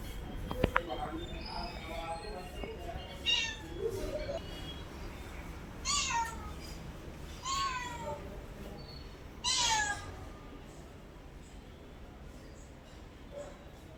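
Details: Pet cat meowing repeatedly indoors, a series of short descending meows every couple of seconds, mixed with human speech and a few sharp clicks early on.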